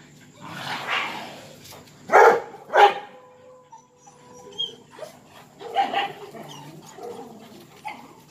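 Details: Confined dogs during mating season, jealous and sad: sharp loud barks around two seconds in, then a long steady whine, followed by more scattered barks and yelps.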